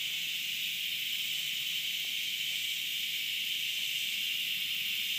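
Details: Cicada calling on 30 August 2013, a steady high hissing drone held without a break, loudest in a band near the top of the range, with a fainter higher band above it and no other clear sounds.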